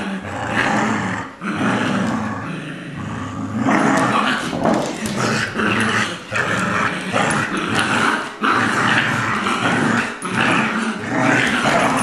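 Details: Colby, a two-year-old adopted Lab mutt, and Jack, a six-week-old Golden Retriever puppy, play tug of war. Their growling is continuous, rough and rumbling, with short yips mixed in and brief pauses near the start.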